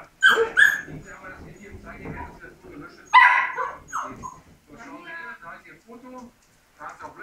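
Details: Labrador Retriever puppies saying goodbye to their siblings: two loud, sharp, high yelping barks, one near the start and one after three seconds, with softer whimpers between and people talking throughout.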